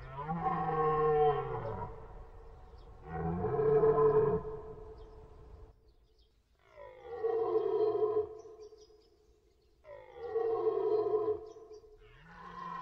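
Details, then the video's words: Deer calling repeatedly: five drawn-out, groaning bellows, each about one and a half seconds long with an arched, rise-then-fall pitch. They come roughly every two to three seconds. "deer, cerf sound effect"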